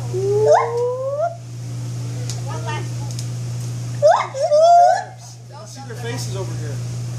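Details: Two short bursts from a white-handed gibbon, each a quick rising whoop followed by a sliding, wavering note, separated by quieter stretches with faint sounds and a steady low hum.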